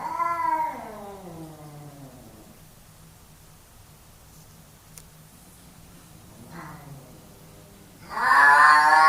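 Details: Two male cats fighting for dominance, one voicing a long, sliding yowl that falls away, a quieter moan later, then a sudden harsh, noisy hiss.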